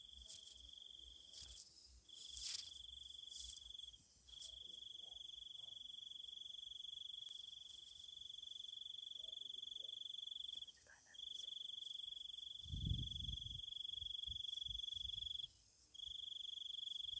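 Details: Night-time insect song in Thailand: a steady high, pure trill held in long stretches of several seconds, broken by short pauses, with scattered clicks and a low thump near the end.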